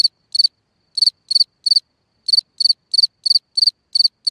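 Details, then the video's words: At night a cricket sings from its hole in the ground, giving high, shrill chirps of three or four quick pulses each, about a dozen in four seconds, with one brief pause midway. No other sounds. "Watch and Listen a singing Cricket (Chirping sounds, Hole in the ground, Night Ambient Sounds)"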